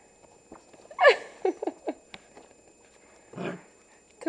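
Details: Two dogs playing indoors at night, an 8-week-old Pembroke Welsh Corgi puppy with a Havanese: a short series of yelping, squealing play calls at about one second, then a rougher growl-like burst, with a person talking around them.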